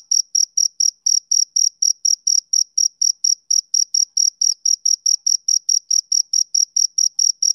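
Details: High, ringing chirps from a male cricket on a summer evening, evenly spaced at about four per second, forming a calm, continuous rhythm without other noises.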